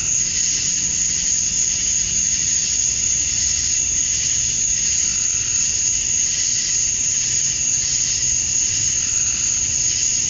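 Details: Georgia, USA, on a summer evening at dusk: male cicadas chirping for females form an unbroken high-pitched ringing drone with a pulsing buzzy layer below and a faint low hum.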